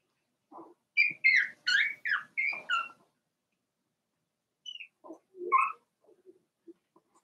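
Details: Four-week-old Cavalier King Charles Spaniel puppies from Daisy's litter in their pen, giving a burst of high, squeaky yelps and whines in quick succession, then a pause and a few fainter squeaks and soft lower grunts.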